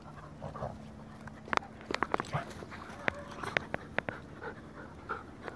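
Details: Two dogs, Farfel the Goldendoodle and his cousin Utley the Bernese Mountain Dog, playing together: breathy panting bursts mixed with sharp clicking taps and scuffles, over a steady low hum.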